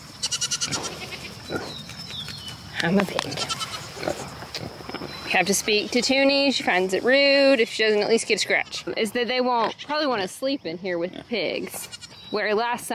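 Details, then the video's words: Goat kids on weaning day at a farm. A noisy, scrappy start gives way to a chorus of loud, trembling, wavering screams, called over and over and overlapping each other. "THERE is so MUCH SCREAMING! IT'S WEANING DAY for the BABY GOATS!"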